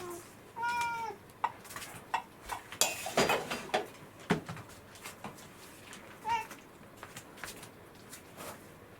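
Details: Rescued domestic cat indoors in the morning, meowing for breakfast after its owner overslept with a hangover; two clear harmonic meows, a long one near the start and a short one after six seconds, amid clattering and handling noises.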